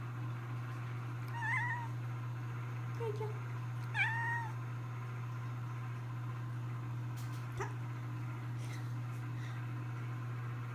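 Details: Jojo, a pet cat, meows three times, short chirpy calls with a brief bent pitch, spaced a couple of seconds apart, followed by a few clicks and knocks, with a steady low hum throughout and faint voices.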